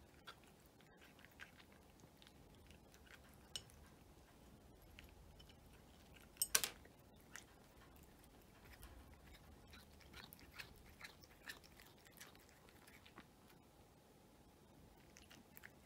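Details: Indoor mealtime for a cat: soft, irregular crunches and bites, one sharper clatter near the middle, over a hushed room background.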